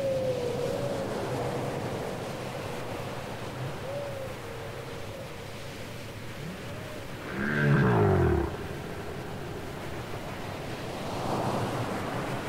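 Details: Whale song from a cassette recording: a long rising-and-falling moan, then a loud downward-sweeping cry with layered tones, over a steady low underwater hiss.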